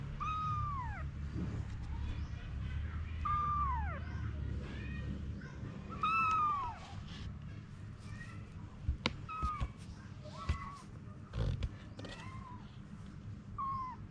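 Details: Mother cat Anna with her kittens: a run of about eight drooping meows, loud at first and then softer, broken by sharp knocks and clicks, over a low rumble.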